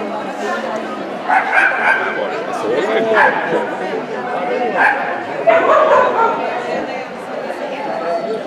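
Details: At the SvVk show of 20 March 2016, an Ibizan Hound barks in loud, abrupt bursts spaced a second or more apart, over a constant murmur of people talking nearby.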